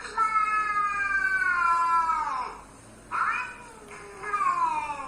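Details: House cat reacting to other cats' noises with a long, loud caterwaul that slides downward, followed by a short sharp cry and then another falling yowl.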